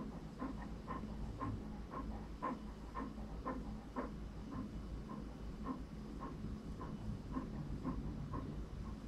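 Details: English Cream Golden Retriever puppy Franklin breathing hard in a regular pant, airy puffs roughly twice a second throughout, with faint low-frequency rumble behind.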